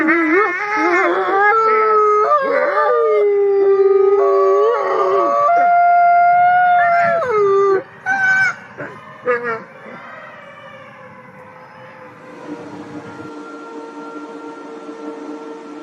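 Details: A gray wolf (Canis lupus) howls in long, wavering tones that slide up and down, with a few sharp yips; such howls serve communication, warning, rallying and bonding with the pack.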